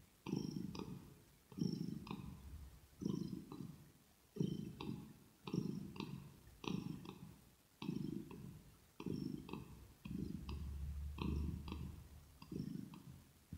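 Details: Kitten purring steadily into an ear-to-ear ASMR microphone, low throaty rumble swelling on each breath about every 1.5 seconds, light clicking accents, a brief deeper hum near the end.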